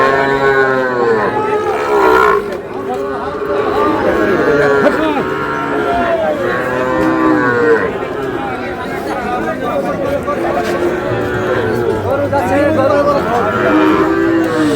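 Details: Sahiwal calves at a Bangladeshi cattle market, Monday 16 February; several drawn-out moos follow one another through the recording, overlapping crowd chatter and voices of traders.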